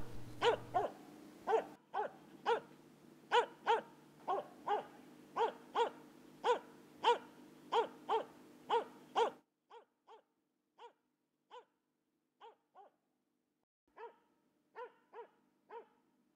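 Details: Rapid, steady barking from a Finnish Spitz, Finland's national dog and a traditional game-hunting breed: around twenty ringing yelps at a brisk even pace, then a quieter, cleaner stretch of scattered barks in short bursts.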